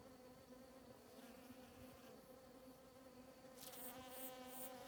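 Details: Hundreds of bees collecting nectar and pollen from grass flowers on a morning in the Sierra de Huautla biosphere, Morelos, Mexico, make a steady, low, even droning hum, joined near the end by a brief burst of higher hiss or rustle.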